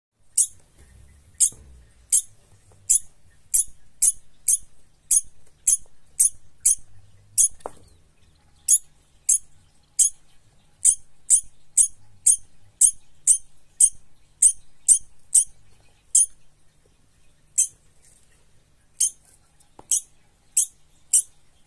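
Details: Degu; scolding squeaks; scolding after being frightened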